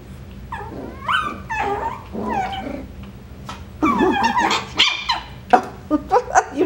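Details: Coton de Tulear puppies at a breeder's home playing, trading high squeaky yelps and rising whines mixed with rough little growls, ending in a rapid run of sharp barks over a low indoor hum.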